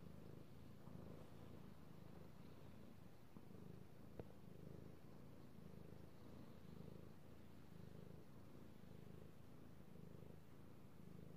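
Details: Pet cat, male, purring as he is petted, recorded 3/16/18; deep continuous rumble pulsing roughly every second in rhythm with breathing, one sharp click near the middle, otherwise quiet room.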